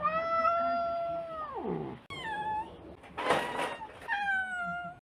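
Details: Cat letting out a long steady meow that drops at its end, then shorter meows after a gap, with a brief noisy burst between them.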